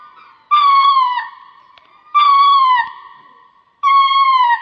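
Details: Lemur calling with clear, tonal, harmonic wails that dip slightly in pitch, each lasting about a second, three calls spaced about one and a half seconds apart, with faint low noise between them.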